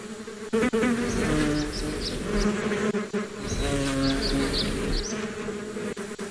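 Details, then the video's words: Bees buzzing for relaxation: a low, steady droning hum with strong harmonic bands, swelling and fading as insects move near and away, with faint higher chirps in the background. "Relax with the sound of the bees"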